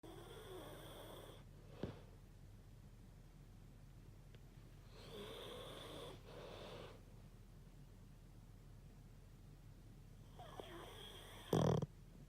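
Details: A dog snoring indoors: slow, rasping breaths in long drawn-out bursts about every five seconds, with a low steady hum underneath and a short sharp knock near the end.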